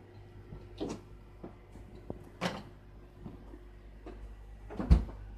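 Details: A quiet indoor room with a few scattered thuds and knocks, like a cupboard or door closing, over a low hum, and no animal sound.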